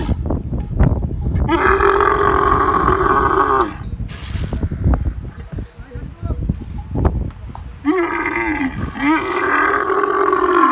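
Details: Camel giving two long, loud, harsh bellowing roars, each about two seconds, separated by rumbling gurgles and clicking throat noises.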